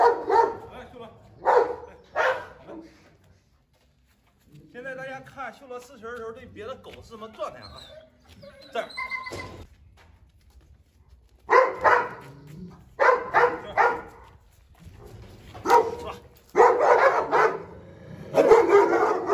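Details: Aggressive Presa Canario defending its food bowl, giving sharp clustered barks at the start and end, while a human voice talks through the quieter middle stretch.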